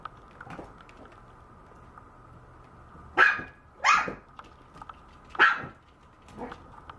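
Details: Young Maltese dog giving four high-pitched barks in the second half, spaced roughly half a second to a second apart, the last one quieter, after a few seconds of near quiet with a constant background hum.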